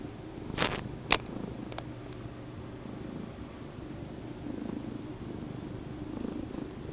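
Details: Indoor female Bombay cat kneading and mouthing a stuffed toy horse while purring; a continuous low rumble is broken early on by two sharp handling thumps and a few soft ticks.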